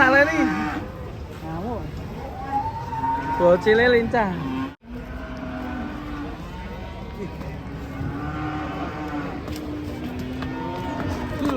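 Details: Cattle giving low, level moos that hold steady for several seconds, with a brief wavering call early on, all set against continuous music.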